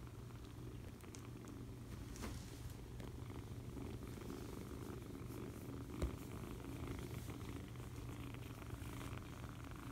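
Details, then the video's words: Cuddled foster kitten purring, an even low rumble sustained across the whole stretch, with quiet rustles and a single small knock midway. "Foster Kitten Cuddles and Purrs!"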